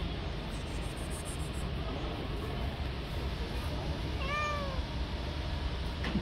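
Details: Street-living stray tabby kitten with fluffy fur makes one clear, high meow that rises and then falls, against a steady low background rumble.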